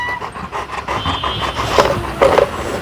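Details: Labrador Retriever named Chakki, a pet dog her owner calls sad and quiet, panting in quick, breathy, rhythmic bursts with soft noisy puffs close together, a faint steady hum behind and a person calling her just before.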